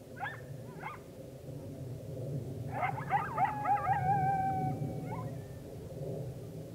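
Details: Full moon rising on October 9, 2022 with coyotes in chorus: scattered yips, then a burst of rapid yapping that melts into a long drawn howl and a final short yelp, low background rumble throughout.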